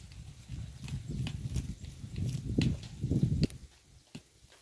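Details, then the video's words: Close-up of a cow eating grass by the road: low, crunchy ripping and chewing bursts that grow louder with sharp clicks, then stop abruptly, leaving quiet outdoor ambience. "The Unique Sound of a Cow's Mouth Eating Road Grass"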